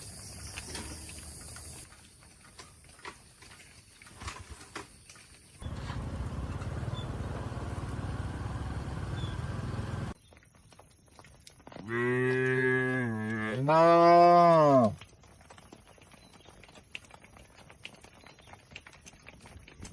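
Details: Tame cattle grazing on fresh grass in a green oil palm plantation in the open countryside. Two deep, drawn-out moos in quick succession, the second louder with a rising then falling tone, between stretches of engine-like rumble and steady hiss.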